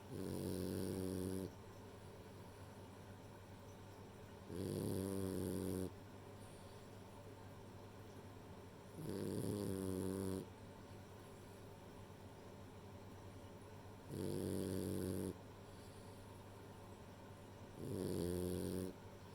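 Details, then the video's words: Rei, a female French Bulldog, snoring while asleep: five rough, droning snores of about a second and a half each, spaced roughly every four seconds, with quiet breathing between them indoors. "寝る前に聞きたくなるフレンチブルドッグのイビキ（snoring dog）"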